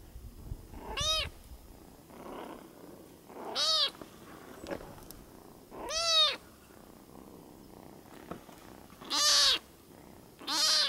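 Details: Kitten on Isla del Sol, Copacabana, Bolivia, on Lake Titicaca, sleepy and hungry, repeats short, bright meows every two to three seconds, five in all, against a quiet background.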